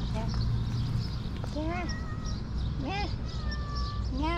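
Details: Very hungry cat, one of two, calling while being given food: rising-and-falling meows come in short bursts every second or so, with a person talking softly and a steady tone in the background.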